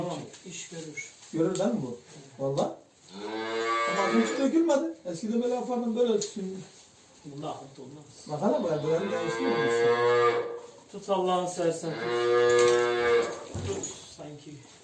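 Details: Simmental cattle on a Turkish farm, cows showing silent heat and undergoing synchronisation before artificial insemination, low repeatedly in a series of long rich bellows and shorter moos, some overlapping, with faint human voices between calls.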